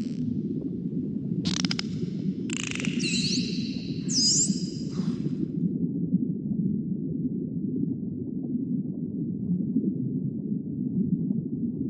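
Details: Dolphins produce several high, looping whistles, rising and falling sweeps bunched in the first five seconds, over a constant low underwater rumble that continues to the end.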